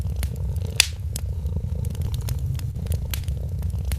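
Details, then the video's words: A sleeping kitten purrs beside a Christmas fireplace. A continuous deep vibrating purr fills the clip, with scattered fire crackles and one louder snap near the start. "Purring Kitten"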